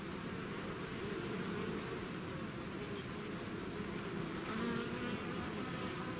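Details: Bee swarm leaving its hive: thick continuous humming from many wings, individual bees drifting in and out as slightly higher whines over the low steady buzz.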